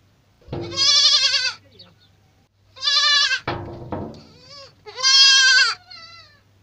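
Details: Young goats (kids) bleating: three loud, wavering, harmonic-rich bleats about two seconds apart, each lasting close to a second, with a low steady hum underneath.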